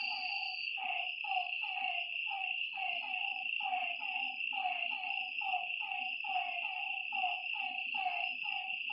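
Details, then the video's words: Lakeside frogs at night give a rapid series of short, dropping croaks in an uneven overlapping rhythm, while an unbroken high buzzing drone runs underneath. "Lakeside night creatures and frog sounds"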